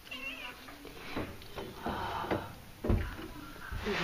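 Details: Young kittens indoors, described as mad, giving several short, thin meows, roughly one a second, mixed with a woman's soft talking to them.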